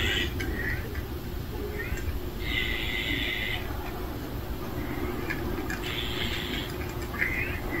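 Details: Family of street cats gathered at a meal, giving two drawn-out high meows near the middle and end, with a few shorter mews between, over a steady low rumbling background.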